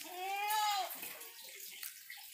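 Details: A young Etawah goat, just over three months old, being moved to a farmer, gives one wavering, nasal bleat, followed by soft splashing and rustling noise.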